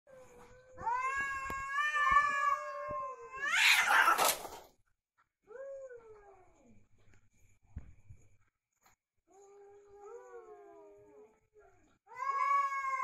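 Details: Cats in a fight give drawn-out, wavering yowls that rise into a harsh, noisy screech near the middle, then shorter falling wails and a loud renewed yowl at the end.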